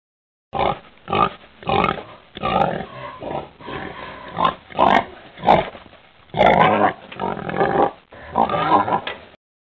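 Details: A domestic pig (Sus domesticus) grunts over and over, short throaty oinks coming about once a second.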